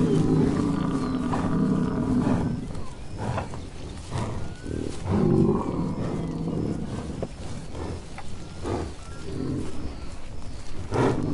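American bison giving deep, rumbling bellows, with a brief spoken voice at the end.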